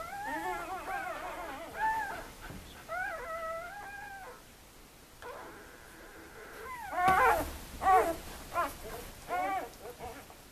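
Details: Newborn puppies, two days old, from one litter: several thin arched whines at first, a pause, then sharper louder yelps and squeaks in quick bursts, with rustling and handling noises between.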